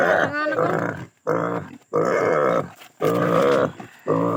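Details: Native pig during castration giving hoarse, nasal squealing cries in bursts of about a second, with short breaks between them.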